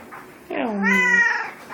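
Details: House cat grumbling after getting stuck up a tree, a loud low-starting meow that rises then sweeps into a long harmonic wail, owner coaxing it to talk.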